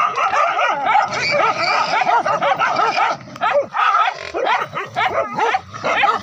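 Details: Wild boar hunt with village dogs and spears, forest to riverside: continuous clamour of many dogs, high quavering yelps over choppy barks, dipping briefly after three seconds before rising again.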